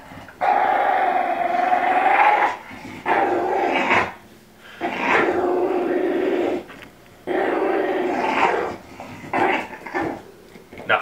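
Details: A female Olde English Bulldogge named Elsa makes funny, sustained groaning growls with a ball stuck in her teeth, four or five long raspy bursts with brief quiet breaks.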